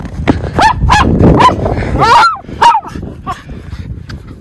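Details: Two Miniature Schnauzer brothers, Lucky and Levi, romp off-leash in deep winter snowpack in their yard in Aroostook County, Maine, on February 11, 2023, as spring melt begins. Sharp, bright barks come in a quick burst, then softer yips over snow rustling.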